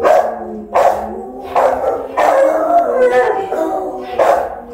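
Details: Rottweiler left alone guarding the house while its owner is away, filmed by a phone set up as a watch camera; loud, harmonic, howling barks in bursts roughly every second, with drawn-out whining tones between them.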